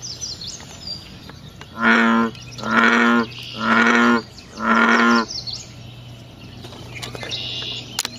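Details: A frog in its natural habitat at night gives four deep, resonant croaks about one second apart. Each croak is a short droning burst. Quiet stretches sit before and after, broken by faint high chirps.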